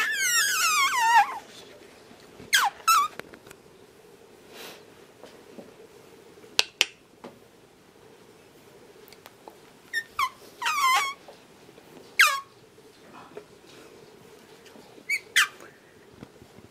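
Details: 45-day-old French Bulldog puppies give high, squeaky whines and yelps that slide downward in pitch.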